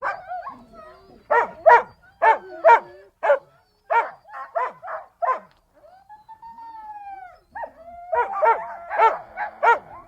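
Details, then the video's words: Siberian Husky voice: harmonic barks in bursts of two to four, about a hundred per minute, with a smooth falling howl-like tone midway, then more rapid barking at the end. "The sounds of Siberian Huskies"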